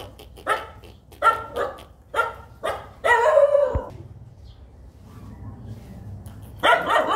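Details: Tiny baby puppies playing and following a person, giving short high yapping barks in irregular bursts, several quick yips early on, a louder longer yelp near the middle, then a final burst after a quiet pause.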